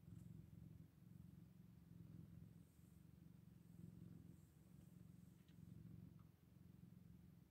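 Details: Eight-day-old Scottish Fold kittens with a low, continuous purring drone that pulses in even waves about every second and a half, quiet and close, with a few soft ticks.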